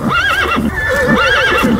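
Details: A horse whinnies loudly: a high, quavering neigh that wavers up and down, then slides lower and shakes out twice in under two seconds.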